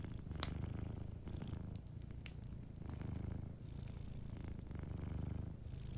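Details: Sleeping cat producing a soft rumbling purr that swells and pauses in roughly one-to-two-second cycles, accompanied by a few loud pops and quiet crackling from a fire.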